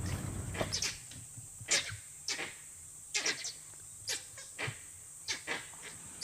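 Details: Langurs perched in trees in Barnawapara Wildlife Sanctuary, India, give harsh, barking alarm calls in quick, irregular bursts that fill the forest, warning of a predator, possibly a leopard or wild dogs. The calls fade as the danger moves off.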